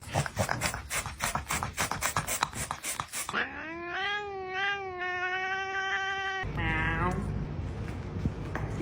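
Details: Domestic cat in a compilation of funny cat sounds, giving long drawn-out meows with a slightly wavering pitch, first a sustained one of about two seconds, then a shorter rising one, after a stretch of rapid clicking noise.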